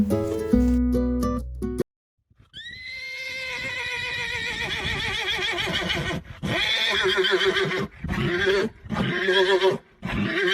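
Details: Horse neighing in a long quavering whinny that starts high and wavers downward, breaking into several shaky bursts over about eight seconds, after a short musical jingle, with music continuing underneath.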